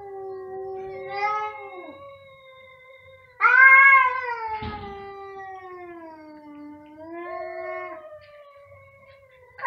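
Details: Loud, sustained meowing from two cats in chorus; long harmonic wails that waver and dip, a sudden harsher, louder outburst near the middle, then a gradually lowering drawn-out cry.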